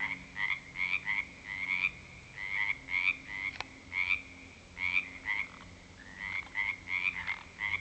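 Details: Pond frogs croaking in the dark at 7 pm following a couple of weeks of February 2009 rain; clear bursts of rasping, pulsed notes repeating in quick runs with brief pauses, several frogs overlapping, one sharp click midway.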